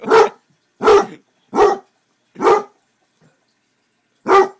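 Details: Basset Hound howling and barking, then sticking his tongue out: five loud, drawn-out baying barks about half a second each, the first four evenly spaced and a gap before the last, in a quiet room.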